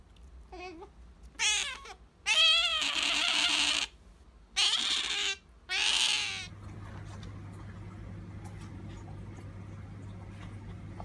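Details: Female pet otter Sakura begging for jerky: a few short, wavering squeaks, then three long, rough, loud squealing cries within six seconds. After that comes quiet room noise with a low steady hum.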